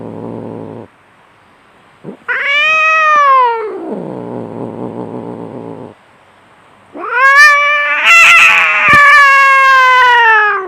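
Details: Aggressive domestic cat fighting: short growl, an arching yowl that melts into a long throaty growl, then a loud, harsh, wavering caterwaul with screechy bursts lasting nearly four seconds.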